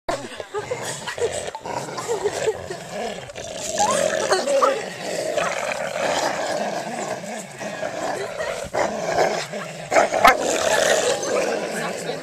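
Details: Domestic dog growling while playing tug of war, rough rumbling growls rising and falling in irregular bursts, with scattered clicks and knocks from the struggle.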